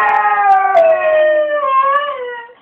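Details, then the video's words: Pet Cocker Spaniel indoors, singing along and imitating its owner with passion: a sustained, tonal howl that glides slowly downward, then lifts slightly near the end before fading out. "Cocker singing"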